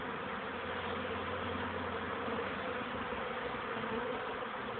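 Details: Young honey bees circling their hive on first flights, 13 May 2013, early afternoon after cold rainy days: continuous thick droning buzz of many bees, even in loudness throughout, with a faint low hum underneath.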